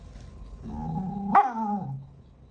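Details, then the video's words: Angry cats fighting: a drawn-out, harmonic yowl of about one and a half seconds that jumps into a sharp, rising squeal midway, then sinks and fades, with voices talking nearby. "cats angry with Chean Chean and get fighting"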